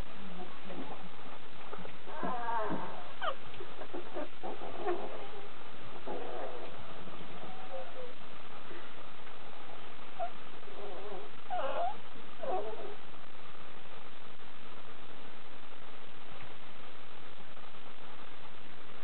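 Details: Kuvasz puppies, several young dogs together, giving scattered thin high whines and squeaks, with a couple of wavering rising-and-falling whimpers clustered near the middle, over steady background hiss.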